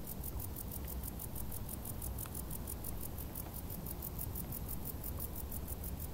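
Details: Summer crickets in tall grass give an unbroken, fast pulsing high chirr, regular beats continuing throughout, set above a deep steady background hum.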